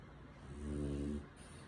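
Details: French Bulldog snoring comfortably while cuddled in a person's arms, one soft, low rumbling snore swelling and fading over about a second in a quiet room.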